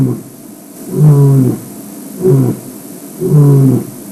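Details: Male lion calling to members of his pride, letting other lions nearby know he is about: three deep, resonant grunting roars, each half a second long, spaced about a second apart, over quiet background.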